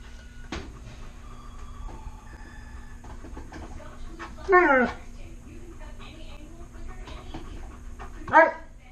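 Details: Alaskan Malamute dog indoors asking for food while french toast is made: two short falling whines, one midway and one near the end, amid faint kitchen clatter and a sharp tap.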